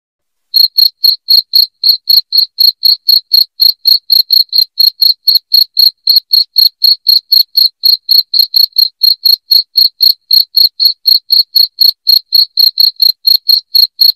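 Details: Strident cricket song intended to chase rats away from home, beginning after a brief silence and then continuing nonstop as quick, evenly spaced high chirps at about four per second, with no other sound present.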